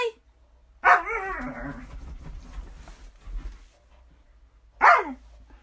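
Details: Pet female Alaskan Malamute indoors: one loud harmonic vocal bark that slides downward and trails into a lower moan, then a second short bark about four seconds later, with quiet room noise between.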